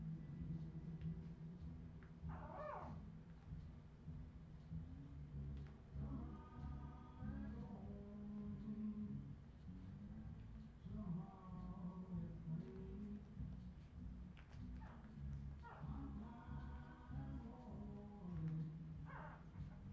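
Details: Several Australian Terrier puppies, recorded in 2018, whimpering in a run of thin, tonal whines that waver up and down in short bursts every few seconds, with a few sharper yelps and a constant low hum underneath.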